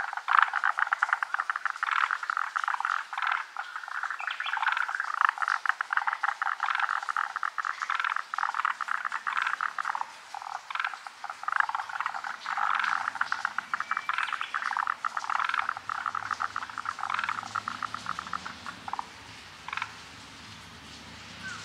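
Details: Many forest green tree frogs calling together in a dense chorus, unseen; overlapping rapid rattling croaks pack the first half, then thin to scattered bursts with quieter gaps toward the end.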